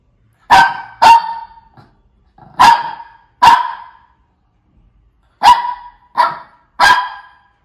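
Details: Shih Tzu barking: sharp, bright barks, mostly in quick pairs, seven in all across the stretch with short silences between groups.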